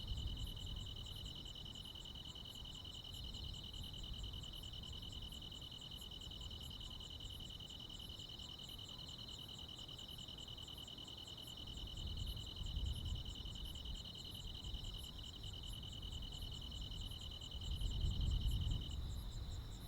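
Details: Crickets and other insects on a midsummer night in the Korean countryside: a steady high shrill band with rapid pulsed ticking above it, and low rumbling background noise swelling toward the end.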